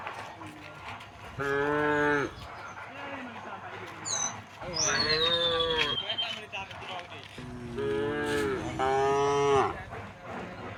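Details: Dozens of tame cows walking along a village road toward rice fields moo in long, harmonic-rich bellows, several animals calling one after another, hooves on a rocky path.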